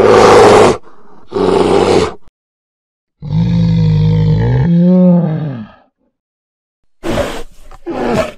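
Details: Polar bear giving two rough, noisy bursts, then a long, low, harmonic groaning roar lasting almost three seconds with a wavering, slightly falling pitch, followed by two short rasping huffs after a pause.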